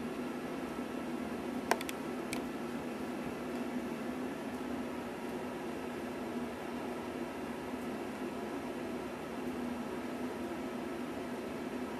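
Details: Steady hiss and low room hum fill the recording, broken only by a couple of sharp clicks near the start, with no animal voice heard.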